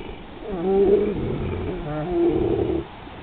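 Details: Pit bull named Roscoe vocalizing as he hears thunder: two drawn-out, wavering, moaning tones, each under a second long, the second slightly higher, over a low background rumble.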